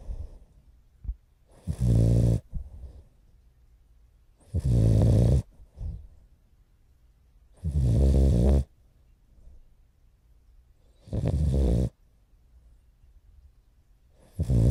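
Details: Morio, a sleeping French Bulldog puppy almost four months old, snores heavily, filmed 29 November 2011; five loud, grating, low snores come regularly about every three seconds, with quiet breathing between them.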